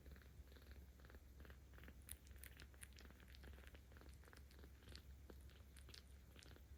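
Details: Ao, a kitten 17 days old looked after by volunteers in Tama City, Tokyo, purrs while being petted on 10 October 2022; steady deep rumble with faint clicks and rustles on top.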